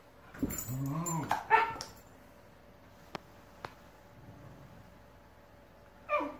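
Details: Two Shiba Inu puppies argue over a ball, trading harsh, yodelling growls and whines in a noisy squabble that ends with a last rising yelp.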